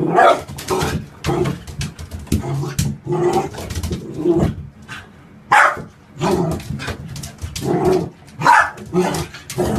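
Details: Dog barking indoors in a small room, a run of short, rough, broadband barks spaced roughly half a second to a second apart, with a person talking between them.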